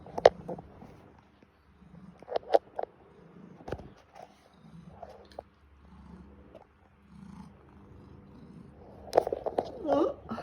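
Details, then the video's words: Indoor male pet cat seeking morning attention, wanting to be cuddled and petted, meows repeatedly and excessively; scattered short cries give way to a burst of wavering, bending meows in the last second, mixed with an owner's speech and small room clatter. "THE SOUND OF THE CAT WHO WANTS ATTENTION"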